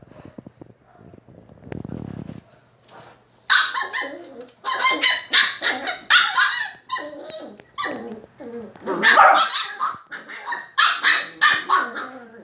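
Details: During play between a Shiba Inu and a Beagle puppy, a muffled rumbling thump opens, followed by rapid, irregular high barks and yips repeated several times a second, fairly continuous throughout.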